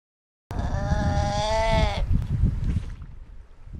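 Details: Galapagos sea lion on the Galapagos Islands, where sea lions share the beaches with marine iguanas: one loud, drawn-out bleating call with a wavering harmonic tone lasting about a second and a half, followed by low rumbling background noise.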